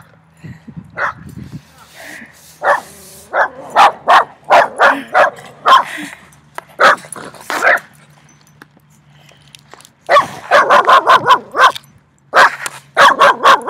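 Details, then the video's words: Three dogs barking very loudly, short sharp barks in quick bursts, a lull midway, then rapid repeated volleys near the end; a low steady hum underneath and faint voices early on. "THREE DOGS BARKED VERY LOUD TO ME"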